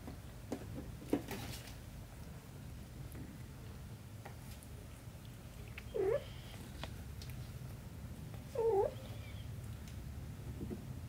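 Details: Mother cat with her kitten indoors: two short meows about two and a half seconds apart, each a brief bent tone, over a steady low room hum with faint clicks and rustles.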